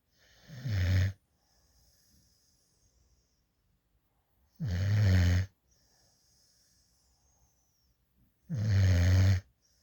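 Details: Rescue puppy, a female adopted at eight weeks, snoring while asleep in a lap with tongue out: three deep rattling snores, each under a second long, spaced about four seconds apart, soft breathing in between.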